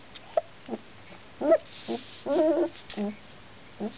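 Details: Alaskan Malamute puppy, two weeks old, from a litter of one girl and three boys born November 17th in Finland; a series of brief whimpers and squeaks, about seven in four seconds, a longer wavering one in the middle.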